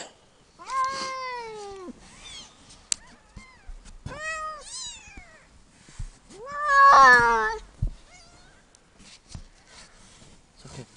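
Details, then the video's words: One-year-old domestic cat indoors while giving birth to five kittens on 29 September 2009: a run of loud, drawn-out harmonic meows that rise then fall, ending in a strained, loud wail near seven seconds, followed by a soft reassuring human voice. "Cat Giving Birth"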